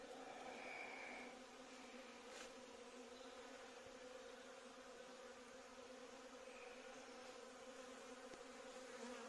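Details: A swarm of bees occupying a courtyard gives a constant, layered low buzz with a brief higher whine at the start and again later, plus an occasional faint tap.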